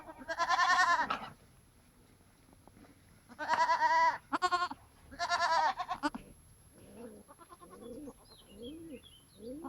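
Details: Goats on a farm: three loud, wavering, nasal bleats about a second long each, followed by a run of softer, short, arching bleats from other animals.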